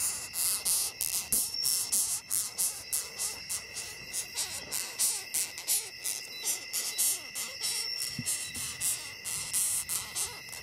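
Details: Rapid, uneven run of rasping, squeaky pulses from a longhorn beetle, close together and varying in loudness, over a thin steady high tone.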